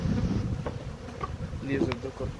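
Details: Hungry bees humming in a dense, low, droning buzz over rumbling background noise, with a few brief higher tones near the end.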